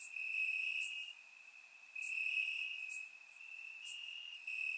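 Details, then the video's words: Warm summer night in Bulgaria, crickets chirping in the grass: one sustained high-pitched trill with brief louder bursts, dipping quieter for about a second before resuming, surround-microphone recording. "Cricket Sounds - Crickets Chirping at Night"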